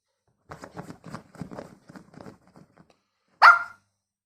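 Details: Toy poodle playing a hide and seek game indoors: after a stretch of a person talking, the dog gives one short, sharp, loud bark near the end.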